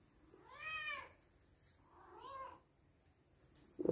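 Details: Domestic cat said to be missing its owner, giving two soft, plaintive meows about a second and a half apart, the first higher and clearer, against a quiet background with a steady faint hum.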